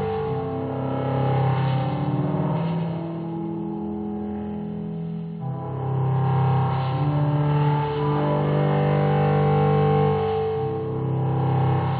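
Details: Sustained low string and bass music plays continuously with a faint vehicle-like hum beneath, and no animal voice is heard.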